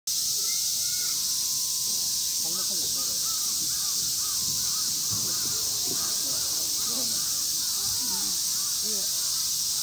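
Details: A male siamang named Brave at Chiba Zoological Park, recorded 21 August 2022, gives a rapid series of loud, barking whoops over a steady high insect drone.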